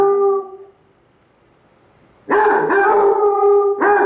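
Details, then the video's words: Two Basset Hounds, one brown and one black, howl at each other in long, sustained baying howls. One voice fades before the other breaks in loudly, and one dog howls back while lying on his side. "Basset Hounds Howling... Lazy Style!"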